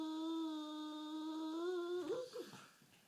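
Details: Half asleep on a sofa, the sulking bulldog Rufus holds a long, even, humming whine for about two seconds. It lifts slightly at the end, then breaks into two short wavering squeaks that fade away indoors.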